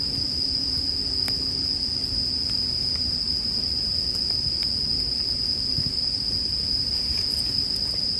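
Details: Bell cricket singing as a constant high, thin ring alongside campfire sounds, with sparse crackles and a low droning hum in the background during the first half.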